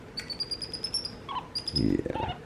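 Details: Two capuchin monkey brothers kept as pets, MonkeyBoo and young MonkeyHappy, exchanging calls: a drawn-out high steady whistle, then a shorter one, before a person's voice breaks in.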